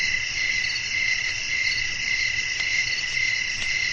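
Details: Nocturnal cricket chirping, a dense unbroken high trill with slight regular pulsing, plus a couple of faint short ticks and a gentle low-frequency rumble.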